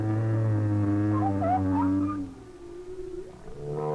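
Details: Winter song of a humpback whale, likely a lone male holding nearly still and possibly calling to a female; a sustained low moan with overtones, brief higher chirping sweeps, then a softer rising tone amid distant whale song.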